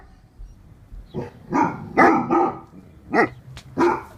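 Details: Great Dane, also known as German Mastiff, giving a short volley of deep, rough barks, several in quick succession then two spaced woofs, over a low background rumble.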